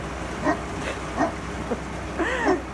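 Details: Newfoundland dog in Montreal, Canada, barking at a snow removal truck: four short, harmonic barks spaced roughly half a second to a second apart, the last one longer and arching in pitch, over a steady low engine rumble.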